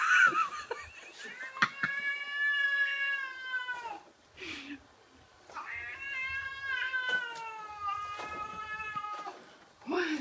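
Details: Cat inside a room facing a balloon shaped like a cat, giving two long wavering caterwauls, each several seconds with rich harmonics and a falling end, separated by a brief pause and breathy hiss-like noise.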